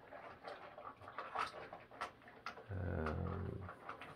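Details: Rex, a boxer dog who does not want to eat his morning food, gives soft panting and snuffling sounds, then a steady low growling groan held for about a second, with a man speaking softly and indoor household noise.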